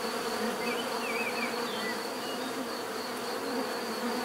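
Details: Steady swarm-like buzzing of bees, a full low hum with a constant high whine above, and several quick bird chirps and twitters in the first seconds.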